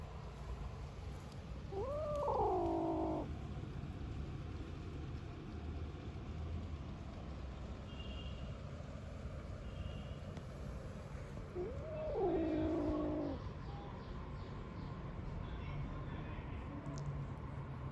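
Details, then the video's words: Young kittens, three weeks old and one of five from a garden litter, reacting to a person: two loud, harmonic mews about ten seconds apart, each rising sharply then sliding down and holding, amid quiet low rumbling. "3 Week Old Kittens hisses at me and makes weird noises"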